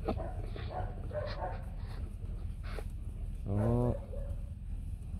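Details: White fluffy Bac Ha dog, a native Vietnamese breed, at a kennel where a mother has just given birth to three puppies. After a few seconds of quiet talking comes a single loud, tonal whine that bends slightly, with a low background hum.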